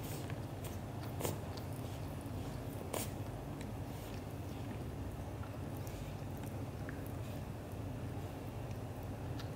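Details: Black golden British Shorthair father cat Leo showing love to mother cat Mimi; a continuous deep, pulsing purr underlies soft licking or nibbling clicks, with two sharper taps near the start.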